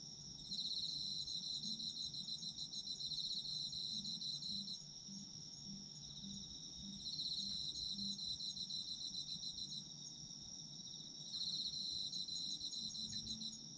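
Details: Night-like chorus of autumn insects: an unbroken high ringing note under three long bouts of quick, buzzy trilling, each lasting a few seconds and separated by short lulls.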